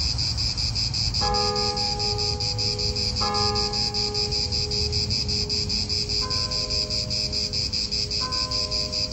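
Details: High, throbbing cicada buzz in an Italian park continues while ringing bells sound four times, each a clear sustained chime fading slowly. Low wind rumble sits beneath both.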